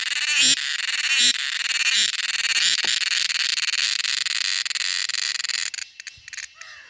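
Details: Summer cicada song in Kerala: a dense, continuous, high-pitched buzz with rapid pulsing and a couple of short tonal chirps near the start. The drone drops away abruptly after about six seconds.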